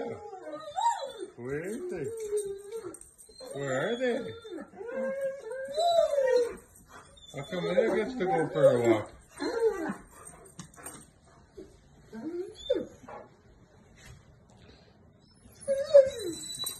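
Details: A Great Dane, alongside a Poodle, whines and cries in drawn-out, wavering tones, upset at being left behind while another dog is taken for a walk.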